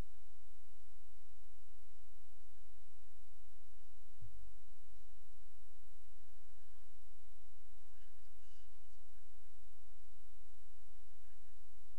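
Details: Near silence with a steady low hum and a single soft thump; no animal voice is heard.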